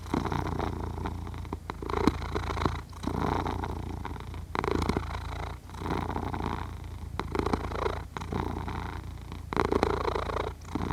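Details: Purring, snoring cat sleeping, Zoom H6 recording: a continuous low vibrating drone rising and falling in regular breathing cycles, each swell lasting around a second, with short quiet gaps between them.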